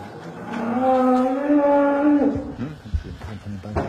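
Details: A cow moos during calving, one long, steady, low harmonic moo held for nearly two seconds before dropping away at the end, followed by rustling and handling noises.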